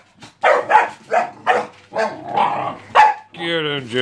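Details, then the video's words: Working Jack Russell Terrier Jessy playing and play-fighting with two pups: a quick run of sharp, harsh barks about every half second, ending in a drawn-out, wavering whine-growl. "Working terriers - They work hard and they play hard......dogs fighting"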